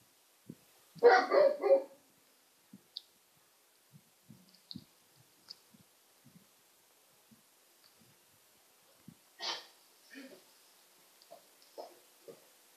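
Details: Great Pyrenees puppy letting out one loud, rough, harmonic burst of barking near the start, then quiet with scattered soft clicks and taps, followed by a few shorter, higher yelps toward the end.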